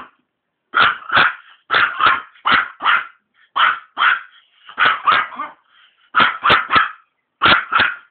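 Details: Maltese barking in reaction to cigarette smoke, loud clipped barks mostly delivered in doubles and triples with brief gaps, steady and insistent throughout.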